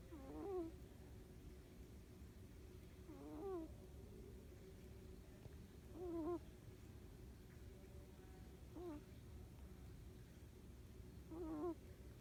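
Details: Siamese kitten snoring while asleep on a person's arm, soft wavering squeaky wheeze with each breath, about every two and a half seconds, faint and quiet.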